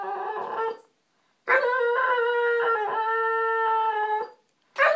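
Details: Male American Bulldog whining daily when he gets no attention; a short whine, a pause, then a long steady high-pitched whine of nearly three seconds with slight wavering, ending abruptly before another begins.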